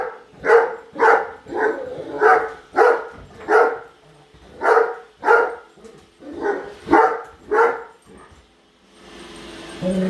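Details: Padme the Great Dane barks while trailing a new Roomba: a dozen emphatic barks at a brisk irregular pace, then the barking stops and a whirring machine noise rises at the end.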